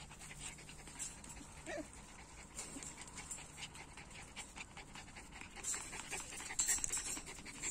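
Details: Puppies from two litters panting in quick, breathy bursts of soft hissing noise, uneven in rhythm, with a brief faint whine near the start and a woman's voice speaking nearby.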